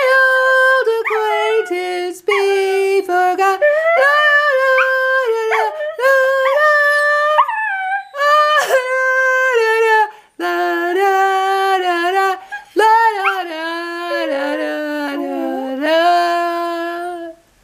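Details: Dog howling along to Auld Lang Syne: a rich, continuous run of sliding, wavering howled notes with a few short breaks, dipping lower toward the end.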